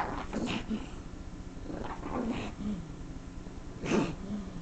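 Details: A female pug reacting to someone scratching the couch, letting out low grumbling growls with short whiny rises, three bursts spread over a few seconds against a steady indoor hum.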